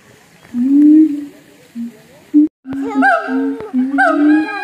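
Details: Captive siamang at a North Lombok zoo: a drawn-out low hoot, a short pause, then renewed booming with sharp rising whoops layered above, with a few clicks and knocks in the background.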